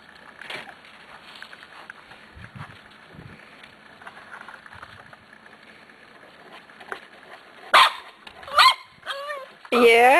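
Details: Eight-week-old Corgi puppies from the Zoe and Strut litter, recorded 13 March 2011; people chatter indoors for several seconds, then loud, high yelping barks burst out in quick bursts near the end, the last ones rising and falling.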